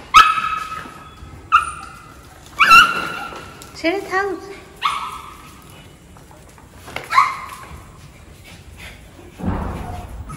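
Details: Maltese puppy Cherry welcoming her owner back after a ten-day absence with spaced high whines and yips, mixed with human speech and rustling.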